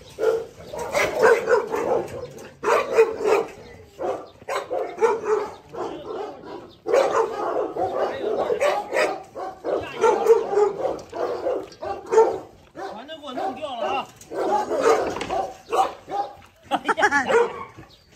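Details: Pregnant Rottweiler Aila, 46 days along, barks repeatedly at a rival around feeding time. Harsh barks come in rapid clusters throughout, with a man talking over them.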